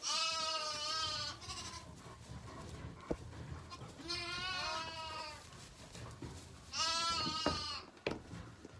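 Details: Zwartbles lambs (Ovis aries) on a farm in County Kilkenny, Ireland, bleat three times while being fed one morning: long, quavering baas of wavering pitch a few seconds apart, with a couple of sharp knocks between them.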